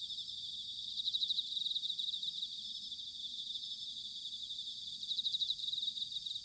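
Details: Autumn insect chorus led by bell crickets, recorded in Sanuki, Chiba Prefecture, Japan: dense high pulsed trilling that swells and fades, with no clear ringing note and soft low background noise.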